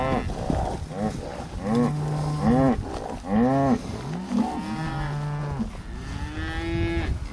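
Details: Hereford cattle in the breeding pasture during summer 2015: a run of short, arching bellows repeated roughly every second, each rising and dropping quickly, ending in a longer, drawn-out moo over rustling background noise.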